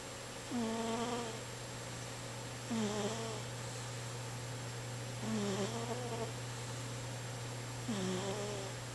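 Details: Sleeping house cat snoring steadily, four reedy, whistled snores about every two and a half seconds, each sliding down then flattening into a droning tone, with a faint breathy hiss and continuous background hum.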